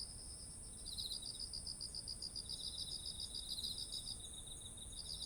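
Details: Insects singing in autumn by rice fields heavy with ripe ears: a continuous run of quick, regular chirping pulses with a lower overlapping trill, over a persistent high buzzing drone.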